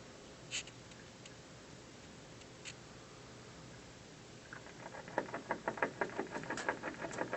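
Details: Mostly quiet room tone with a couple of faint ticks, then a squirrel on an office windowsill starts gnawing the building in the afternoon, quick crunchy bites about three per second.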